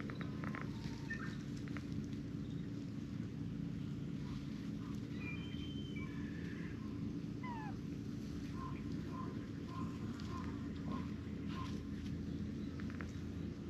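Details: Palm-sized kittens chasing the older brown tabby female they adore on a cat island cared for by TNR volunteers: thin high mews, a few gliding calls, then a run of about seven short, evenly spaced mews near the end over steady outdoor background noise.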